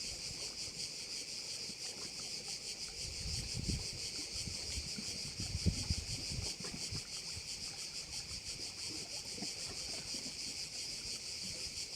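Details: Crickets at one of the bays of Korčula: a dense, shrill, pulsing buzz high in pitch, throbbing a few times per second without pause, with soft low thumps and rumbles of wind or water in the middle seconds.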